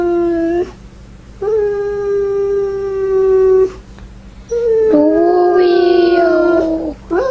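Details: Husky dog, described as a samoan husky, calling because it wants its mom. It gives long, steady, mournful howls, each held about two seconds with short pauses between. The third howl wavers and bends upward before breaking off. Indoors, with no other clear sounds.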